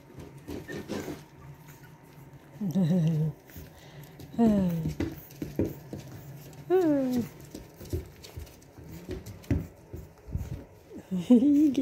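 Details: Boston Terrier puppies from Lily and Lil Red's litter of two, indoors, give several whiny, wavering whimpers and short yelps in bursts a second or two apart, mixed with low thumps, pattering and a woman's cooing voice.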